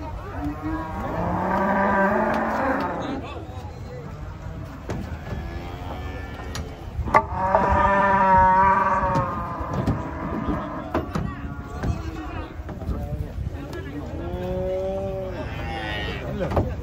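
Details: Giant cattle being unloaded from a truck in the morning in Indonesia: three separate rich, harmonic moos several seconds apart, mixed with men's voices, shouts and clatter.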